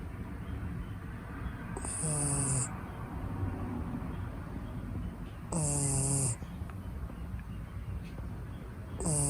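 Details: Snoring from an asleep Shiba Inu, a red six-month-old female born in Niigata, Japan: low buzzy rattling breaths with a faint airy whistle, about every three to four seconds, three snores over soft background hum.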